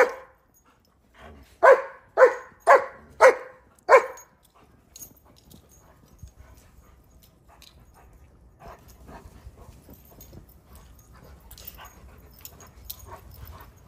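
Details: German Shepherds frolicking and chasing in a cold Chicago winter snowfall with a Rhodesian Ridgeback; five rapid barks in quick succession near the start, then soft rustling and faint movement noise for the rest.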